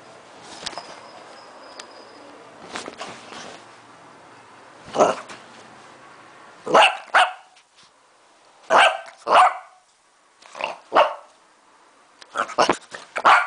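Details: A Lhasa Apso barking at the camera gives sharp, high-pitched barks, often in quick pairs, at uneven intervals.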